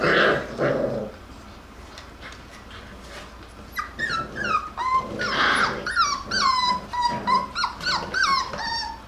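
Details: Jackabee (Beagle and Jack Russell cross) puppies from one litter play and wrestle indoors: a low rough growl at first, then a run of high whines and yelps that rise and fall, sliding down at the end, several in quick succession.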